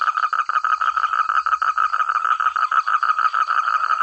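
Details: Several frogs calling at once in rural rice paddies, each with its own voice: dense, overlapping rough croaks pulsing about four to five times per second, loud and clear, with a thin high insect drone.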